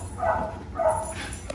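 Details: Belgian Malinois Wednesday greeting her owners at a reunion: two drawn-out, wavering whines, each under half a second, over low background noise.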